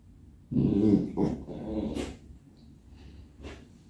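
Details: Robby, a pet English Cocker Spaniel at home, talkative and impatient while seeking attention: one loud harmonic grumbling moan followed by shorter huffs and breathy snorts, then quiet.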